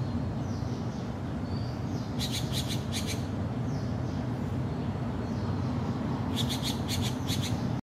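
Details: Golden lion tamarin at a zoological facility in Hong Kong giving sharp, high chirping bursts and faint thin whistles over a steady low rumble.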